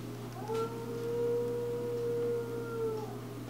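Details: Husky about six months old sitting on a back deck, howling while stretching into a downward-dog pose; one long, steady howl lasting over two seconds, rising slightly at the start and dipping at the end, over a constant low hum.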